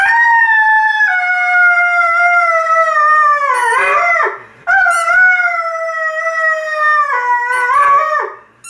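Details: An Irish Red and White Setter howls in long, steady, slightly falling tones while playing with a squeaky football. The toy squeaks between the two drawn-out phrases, and there is a brief pause mid-song.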